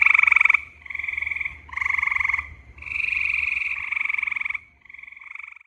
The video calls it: Hyla versicolor, Grey Tree Frog's Mating Call